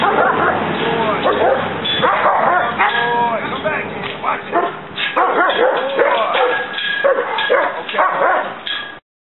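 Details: Kennel German Shepherd guarding the gate against intruders; near-continuous rapid barking with whining yips throughout, mixed with human speech, ending abruptly.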